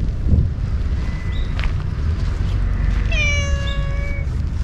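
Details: Ear-tipped stray cats living alongside homeless people, growing very affectionate when stroked after being fed and after cleanup; one drawn-out meow, slightly falling and rich in overtones, over a steady low rumble of wind or traffic.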